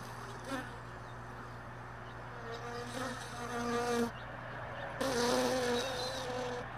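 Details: Honey bees around hive boxes left all day in a truck bed, early morning. A humming drone shifts in pitch and rises in loud bursts as bees fly close, over a steady low background hum.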